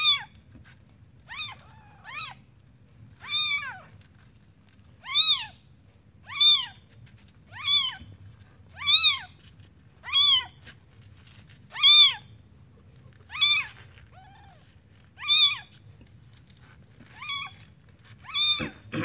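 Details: Village newborn kitten crying in a long run of piercing, rise-and-fall mews, around fifteen in quick succession, some softer and shorter, over a low constant hum, ending in a sudden knock.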